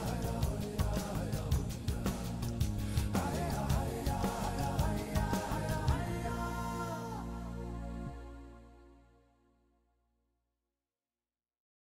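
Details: Rhythmic instrumental music that fades out around eight seconds into silence, with no animal calls audible.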